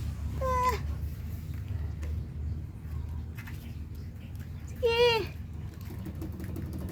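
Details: Kitten giving two short, falling meows about four seconds apart, over steady low background hum with a person talking nearby.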